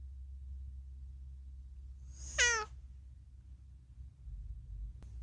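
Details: A single short, falling meow from Unagi, a chatty rescued house cat whose vocalizing often concerns food, stands out against a low steady indoor hum and otherwise quiet room.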